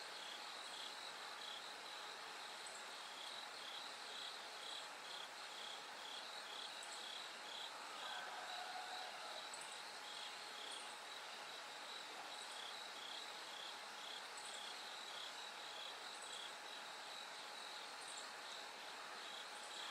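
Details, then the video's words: Bell cricket song in the night, the sky slowly lightening: rapid ringing pulses repeated about twice a second in a steady insect chorus, a thin higher buzz overhead and a brief softer chirp midway. "bell cricket Cry of falling insects"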